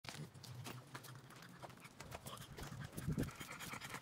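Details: A French Bulldog pants and snuffles in quick, breathy bursts during a morning walk on 3 May 2023, with footsteps in the background.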